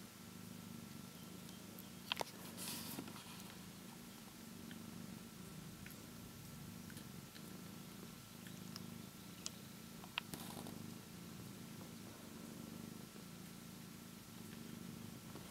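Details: Ten-day-old kitten yawning and playing indoors while its siblings nurse. A steady, low, rhythmic purring continues throughout, with a few soft clicks and rustles.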